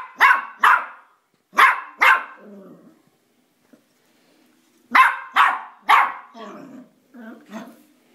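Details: Dog named Elvis, stranded upstairs indoors because he can get up the stairs but won't come down, lets out two pairs of loud, abrupt barks and then a quick run of three, with soft grumbling noises after each burst.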